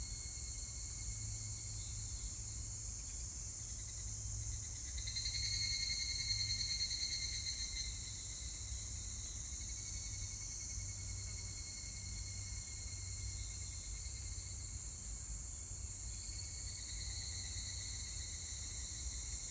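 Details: Evening cicada (higurashi) recorded 25 July 2019, giving a short burst of fast, pulsed ringing notes that swells and fades over about three seconds, set against a constant shrill insect chorus and low background hum.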